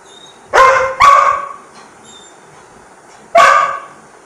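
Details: A Labrador Retriever asking for food gives two quick barks, then a third after a short pause.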